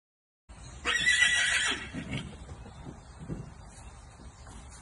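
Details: Arabian filly born in 2021, kept in America, gives one loud, shrill, quavering whinny lasting about a second, then quieter snorts and hoof sounds, with faint outdoor hiss.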